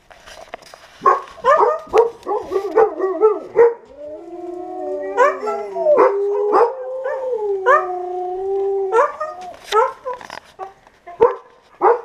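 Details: Siberian Huskies in a kennel breaking into song, short yelping yips and barks interrupted by two long steady howls in the middle, then more scattered yips and sharp calls.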